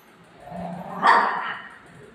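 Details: Golden Retriever Buzo, a household pet whose ice cream its owner ate, lets out a low rising whine that ends in a single short bark.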